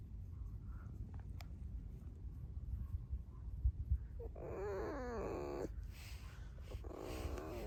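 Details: Pet red fox squeaking indoors: a loud, arched, harmonic squeal that rises and falls over about a second, followed by rougher, noisy squeaky bursts over low background rumble.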